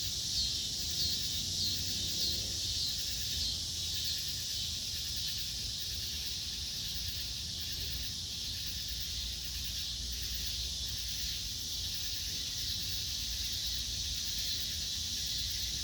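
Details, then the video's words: Insect sounds at dusk: an unbroken, even high chirring drone that swells slightly at times, with soft low background rumble throughout. "sounds of insects at dusk"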